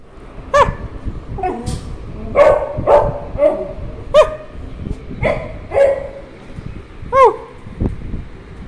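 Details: Beagle giving a run of short, sharp barks and yelps, about ten in under nine seconds, some with a bent, whining upper tone; faint background voices.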